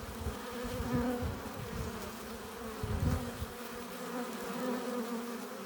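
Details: Busy honey bee hive entrance with bees arriving laden with pollen and nectar; a constant droning buzz over low fluttering thumps, with short swells as bees pass by.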